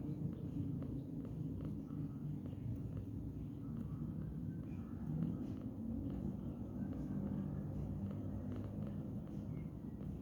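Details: Domestic cat lounging lazily at midday, purring in a steady low rumbling drone with no clear breaks, over a faint constant background hum.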